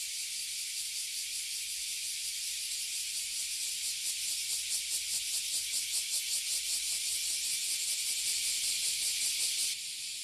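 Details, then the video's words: Oily Cicadas and Bear Cicadas, known in Japanese as Abura Zemi and Kuma Zemi, fill a tree in Toyohashi City, Japan. A loud, high sizzling drone runs throughout, with regular throbbing pulses growing stronger midway, then cutting off near the end. "Cicada in Japan - Toyohashi City"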